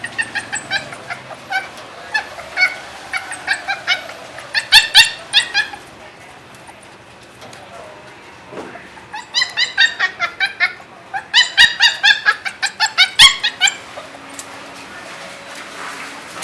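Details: Caged puppy, from sisters Annie and Chichay, with Annie disliking the cage; bursts of rapid shrill yelps and whimpers come in two clusters separated by a quieter pause.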